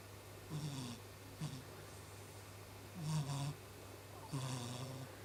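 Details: Pet cat named Chibi snoring in its sleep, described as snoring like a human: four low, rasping breaths with hissy upper edges at irregular intervals over steady low indoor hum.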